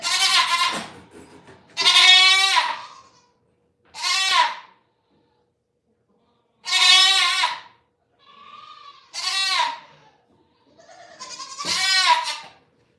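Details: Goat at The Willful Goat Farm & Home bleating loudly: about six harsh, quavering bleats, each under a second long and spaced roughly two seconds apart, plus one fainter, softer bleat midway, with quiet gaps between.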